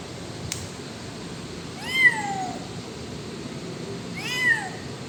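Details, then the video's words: Kitten at a shop area giving two sharp mews about two and a half seconds apart, each rising then sliding down, after a faint click, against a quiet background hum. "KITTEN SOUND AT SHOP AREA"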